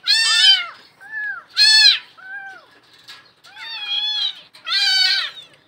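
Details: Young cats, apparently abandoned and motherless kittens still of milk-drinking age, trapped inside a concrete well, meowing: five high, down-arching, plaintive meows spaced roughly a second apart, some loud and some softer, as if from more than one kitten.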